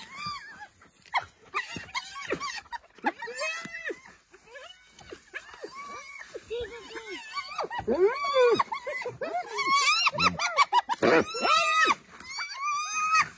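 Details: Several wild African spotted hyenas calling together in a dense, overlapping chorus of rapid, arched yelps and squeals, repeating almost three times a second and growing louder toward the end.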